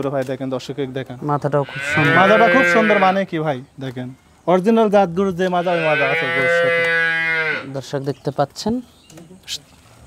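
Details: Holstein Friesian dairy cows on a farm: two long, deep, harmonic moos, each lasting about three seconds, with a short pause between them and scattered knocks and clicks before and after.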